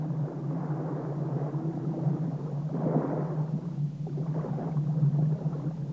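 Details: Only a continuous low rumble with a steady hum and swelling noise can be heard, with no animal voices.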